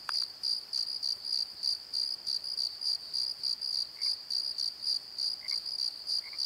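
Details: Crickets after dark at a tree in a Pozo valley bottom: rapid high chirps pulsing about three times a second, with a soft lower chirping caller now and then and a brief click at the start.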